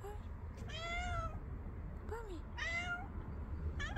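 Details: An angry tomcat, adorable when he meows, gives three clear meows with strong harmonics, one short descending mew in between, above constant low background hum.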